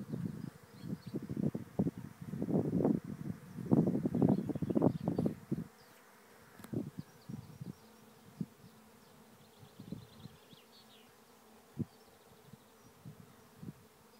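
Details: Thousands of bees swarming into a trap hive at Lisballyard, Rathcabbin, Tipperary, Ireland; loud, dense buzzing of bees passing close at first, then thinning to scattered buzzes over a soft hum, with faint bird calls behind.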